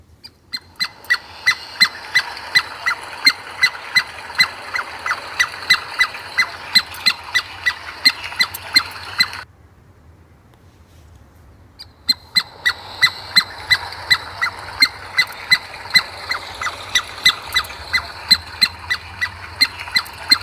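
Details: Squirrel outdoors on a sunny day, giving sharp, clipped chirps repeated steadily at about one and a half per second, with a short silent break midway and a faint low background hum.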